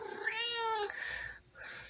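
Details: Female tabby cat at home, spoken to by her owner, gives a clear drawn-out tonal meow lasting under a second, steady then falling slightly, in a quiet room.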